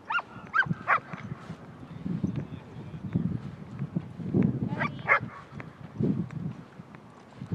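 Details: Cooper, a dog playing at a dog park, gives several sharp, high barks in quick bursts near the start and again around the five-second mark, set against a steady low rumble of background noise.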